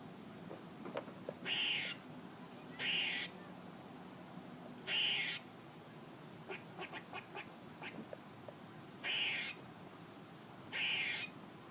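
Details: A squirrel giving short, harsh, nasal calls, each about half a second long, in a loose series roughly every one to two seconds, with a quick run of faint clicks in the middle over low background hum.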